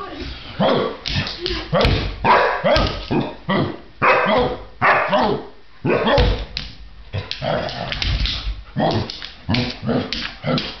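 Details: Two puppies, Bryon and Guinevere, keep up a dense, rapid run of yappy barks, harsh and broadband, coming in quick overlapping bursts with barely a pause between them.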